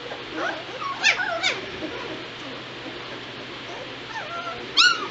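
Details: Two-week-old White Shepherd puppies of a litter, recorded November 22, 2016; a few scattered high, upswept whimpers near the start and one more near the end, separated by quiet stretches.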